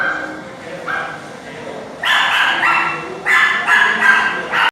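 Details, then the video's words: Chained dogs give faint calls, then a run of loud, evenly spaced barks roughly every half second after a short quiet start. "Dogs Barking"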